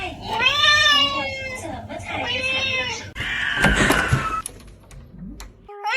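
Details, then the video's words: Cat making two long, bending, tonal meows, the first rising then falling, followed by a loud noisy rustle or scrape and a quieter stretch. "Two sounds of a cat"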